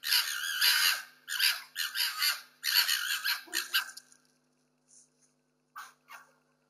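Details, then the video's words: Two street foxes fighting for territory and food during quarantine, filmed on security cameras: wavering, wailing screeches in several bursts for about four seconds, then quiet with a few faint short squeaks. "What sound does a fox make? Fox fighting for food and territory!"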